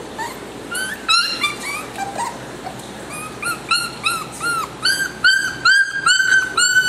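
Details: Young male salt-and-pepper Miniature Schnauzer puppy, described as clingy and affectionate, giving a run of high, thin whimpers and yips. The short notes rise and bend, come several times a second, and grow louder and more insistent toward the end.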